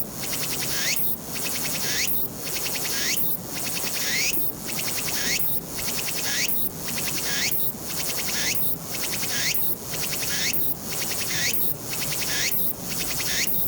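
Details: Walker's cicada song recorded 22 August 2021 on a Nikon Z7: loud, shrill buzzing phrases, each rising into a sweeping note, repeated steadily about once every second over a constant high hiss.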